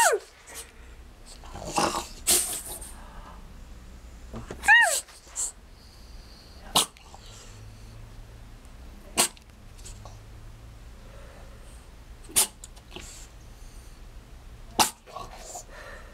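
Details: An 11-month-old French Bulldog playing peekaboo gives sharp snorts and sneezes, with one brief rising whine in between.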